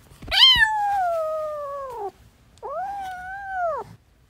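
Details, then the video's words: Cat meowing among a family of newborn kittens at play: two long, tonal meows, the first rising sharply then sliding slowly downward for nearly two seconds, the second shorter and arched, in a quiet indoor space. "Cat’s Family 😍 New born kittens are playing 😂🤣 | cute cats meowing"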